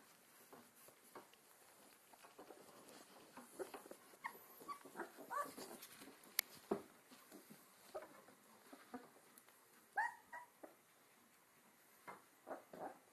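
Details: Four two-week-old Alaskan Malamute puppies on their first outings, giving short, high, thin whimpers and squeaks scattered through a quiet indoor scene, some with rising or falling tones near ten seconds, amid soft rustling and occasional sharp clicks.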